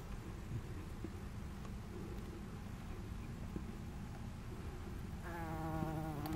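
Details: Red-tailed bumblebee (Bombus lapidarius), recorded 20 July 2018, giving a low, droning buzz that swells into a clear humming tone near the end.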